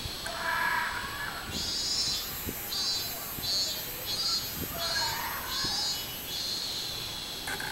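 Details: Robust cicada singing on 24 July 2016: loud, buzzy high pulses repeated roughly every half-second in a steady min-min rhythm, with lower tonal sounds near the start and again midway, over a faint background hiss.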